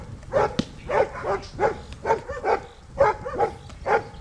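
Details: Protection training with Dea vom Wasserschloß, a Giant Schnauzer, producing a rapid series of eight or so harsh barks, some doubled, roughly two per second, clear and loud over low outdoor noise.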